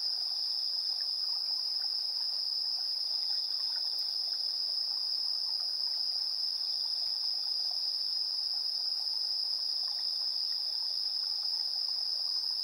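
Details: At 7:04 PM on 3 September 2022, insects sing in a continuous shrill, even trill that never pauses, with faint softer chirps beneath. Recorded via the built-in AB stereo mics of a TASCAM Portacapture X8.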